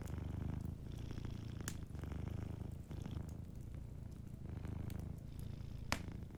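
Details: Soft, even purr of a cat asleep near a warm fire, a deep pulsing drone rising and falling with its breathing, occasional crisp crackles and a sharp snap close to the end.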